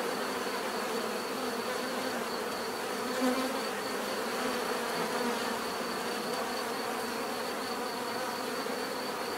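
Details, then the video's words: Bees humming in a constant, thick drone, their overlapping wingbeats steady throughout with a faint high-pitched tone on top. "bees therapy relaxing natural buzzing sound"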